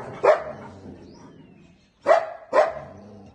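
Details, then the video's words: Dog barking at a nilgai: three sharp, loud barks, the first alone, then a pair about half a second apart, over a low background rumble. "Dog 🦮 barks at Nilgai 🐂"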